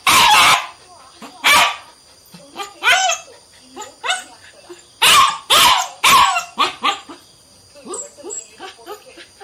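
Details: Indian German Shepherd puppy named Sweety, three months old, giving sharp, harsh barks, two at first and then a quick cluster of three, with softer whimpering or voice-like sounds between them.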